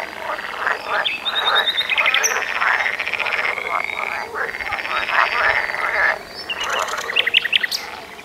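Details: Several frogs croaking together in a loud, busy chorus of rattling, pulsed notes repeated in quick overlapping bouts, dipping briefly after six seconds before a burst of sharper, higher clicks.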